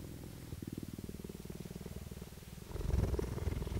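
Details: Captive female cheetah purring at a cheetah centre in Parys, South Africa, 5 May 2019; deep rapid pulsing about three to four beats per second, growing louder and fuller toward the end.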